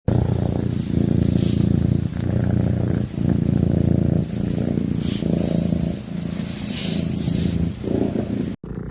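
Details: Domestic cat giving a soothing purr, a deep steady rumble that runs in long phrases broken by short pauses about every second, with faint music in the background.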